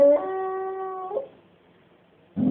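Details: A male English Springer Spaniel "sings" on his owner's prompting, giving a steady, tuneful howl lasting about a second, then a person speaks.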